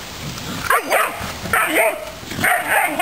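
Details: Dobermans playing in a backyard full of puddles just after a typhoon passed; a few short, harmonic yelping barks come in quick bursts across three seconds over a steady rain-like patter.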